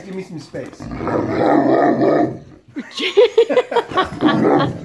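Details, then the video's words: Great Dane begging for its owner's lunch sandwich, letting out a long, rumbling, growly moan lasting about two seconds, followed by a woman's voice talking back to the dog. "Very Vocal Great Dane Would Like to Share That Sandwich"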